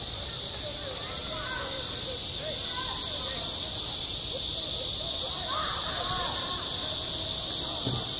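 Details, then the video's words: Cicadas singing in summer over a school playground: a dense, unbroken high-pitched hiss that holds steady throughout, with faint distant voices drifting beneath. "한 여름 운동장에서 매미가 울고 있다 - 여름의 소리, 학교 종소리, 매미 울음소리"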